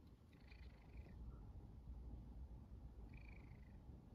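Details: Pet cat purring contentedly indoors while waiting to be stroked by a girl reading manga; a steady low rumbling purr throughout, with two faint higher whining sounds over it near the start and the end.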